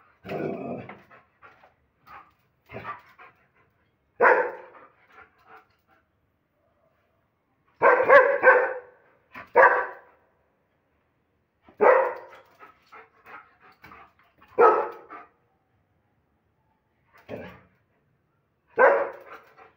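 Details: Aggressive German Shepherd dog giving powerful barks: deep, harsh single and double barks spaced every one to three seconds with short gaps between them, sometimes with quieter huffs in between, and no other clear sounds.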